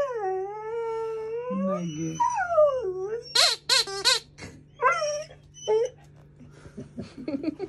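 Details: A female Alaskan Malamute puppy, curious but a little scared of a new squeaky alligator toy, gives wavering, high howls and grumbling 'talking' whines.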